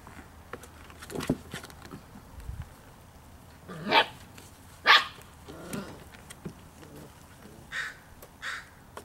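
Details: Five-week-old Poodle puppies playing outside and learning about new sounds: scattered short, high yelps and yips, with two sharper bursts close together near the middle and softer squeaks toward the end, over quiet outdoor background.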